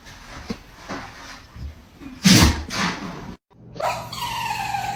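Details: Tiny dog letting out a giant sneeze: one sudden, loud, broad burst of noise that is forceful down into the low range, with fainter snuffles and shuffling before it and a tonal hum afterward.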